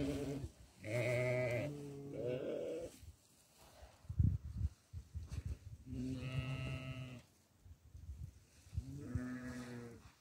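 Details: Goat being given barley calls in loud, drawn-out, shaky bleats, three main bouts each about a second long, separated by munching and clattering sounds.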